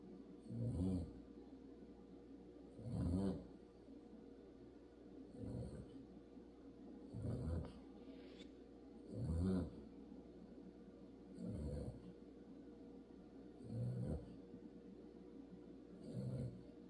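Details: Pet dog snoring loudly while asleep in a car seat used as a bed; low rumbling breaths recur about every two seconds in a steady rhythm, with a faint hiss between them.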